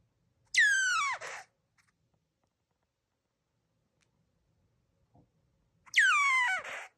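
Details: Baby Senegal galago crying with two loud, harsh, descending wails, each about a second long with a rich stack of overtones, separated by several seconds of quiet indoors.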